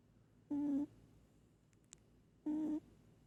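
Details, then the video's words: Snores from sleeping house cat Moli: a pair of steady, buzzy, even-pitched snore tones two seconds apart, with a tiny click between them and quiet indoor background. "Cat snoring"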